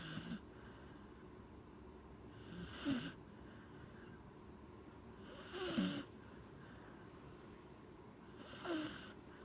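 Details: Sleeping Corgi Gen-chan snores in a steady rhythm, one rasping breath roughly every three seconds. Each snore is a short swelling wheeze with a low buzzy rattle, and the room is quiet between breaths.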